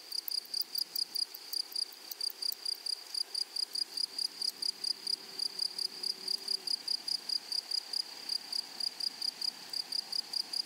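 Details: Grasshoppers in a flowery meadow: a steady high band with bursts of sharp, buzzy pulses repeated about twice a second, some louder and some softer, over a faint wash of background noise.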